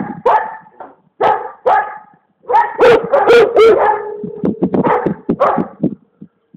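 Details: Komondor named Alma barking in quick irregular volleys: several deep harmonic barks, then a rapid cluster of louder, higher yelping barks, trailing off into shorter rough grunts.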